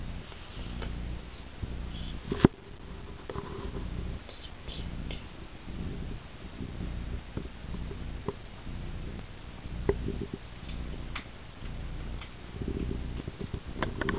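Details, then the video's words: Persian cat Percy gives a sweet, gentle snore, a deep murmuring rumble rising and falling in soft pulses, broken by a few light clicks and taps in a quiet room. "Percy the Persian - sweet snoring"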